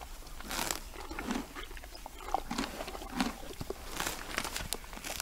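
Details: Hungry wild hippopotamus grazing on long grass by day in Uganda, a noisy eater: irregular wet crunching and tearing bites with soft chewing between them, no calls.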